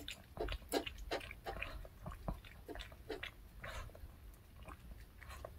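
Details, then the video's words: Pet dog eagerly eating a handmade fish-shaped bun treat: irregular crunchy bites and wet chewing clicks, several per second, in uneven bursts with short pauses, over a low steady background hum. "강아지 먹방 ASMR 붕어빵 fish shaped bun mukbang eating show"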